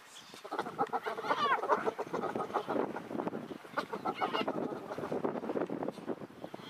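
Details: In the Masai Mara, spotted hyenas give a dense run of cackling, clucking giggles as several males press to mate with a female, who rejects them.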